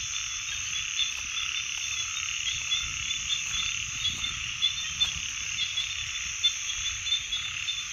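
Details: Frogs sustain an unbroken high chorus, with faint soft ticks and knocks scattered beneath it.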